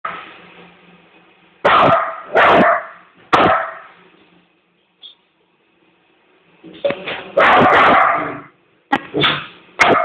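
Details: Yorkshire Terrier cross Jack Russell Terrier on one of his mad days, barking in loud, rough bursts. Clusters of three come early, then a longer harsh run after a quiet gap.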